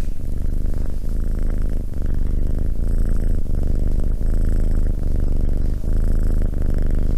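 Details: Cat purring loudly and without a break, a deep vibrating hum with a small dip roughly every second as it breathes.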